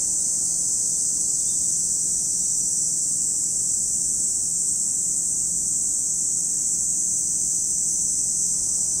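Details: Cicadas at Lake Kamo in Sado City, Niigata Prefecture, Japan: a dense, unbroken high-pitched hiss holds steady at even loudness for the whole stretch, with no pauses or pulses and only a faint low rumble beneath.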